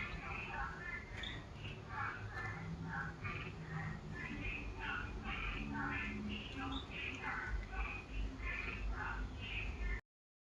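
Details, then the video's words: Unidentified frog producing a dense run of brief, mid-pitched calls, about two per second for ten seconds, against continuous low-frequency background noise before an abrupt stop. "Mystery frog sound"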